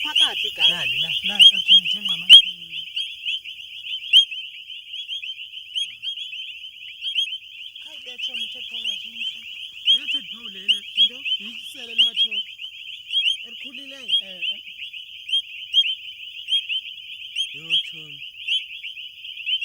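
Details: Frog; mating call; males calling to attract females in mating season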